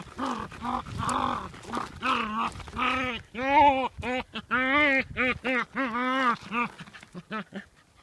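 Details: A playful dog that dances and tries to eat stones gives a rapid run of arched, whining yowls with rich harmonics, rising and falling in short bursts, almost like talking, with a few sharper yaps between them.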